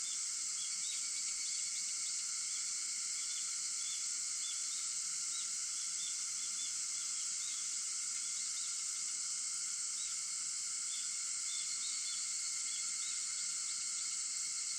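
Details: At 4:50 am on August 4, cicadas keep up an unbroken, even, high-pitched droning chorus, with small chirping bird notes dotted across it, several in quick bursts.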